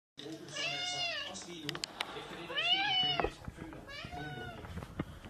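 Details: Domestic cat meowing indoors: three drawn-out, harmonic-rich meows, the middle one loudest and rising then falling, with clicks, handling noise and some human speech around them.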